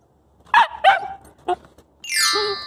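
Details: Coastal wolf puppy chasing its own tail, giving a few short yelping barks, a brief yip, then a long high whine sliding downward, with a man's voice just before.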